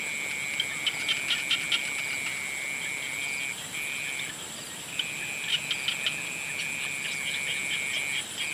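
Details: A dense frog chorus at sunset gives a steady, high trilling drone broken by sharper chirps.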